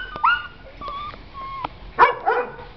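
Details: Puppies at an animal shelter in Algeciras: thin rising whines and tonal whimpers, then two sharp, harsh barks close together near the end, with quiet Spanish speech around them.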